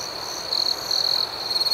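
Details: Brief stretch of night-time cricket chirping outdoors, a piercing high trill rising into louder pulsing bursts after the first half-second, the chorus continuous underneath.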